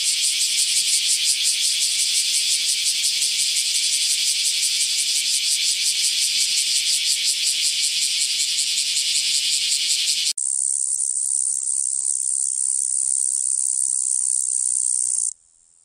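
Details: Cicada song: a loud, harsh, pulsing buzz across a wide high band for about ten seconds. It then abruptly narrows into a thin, very high steady whine that stops near the end.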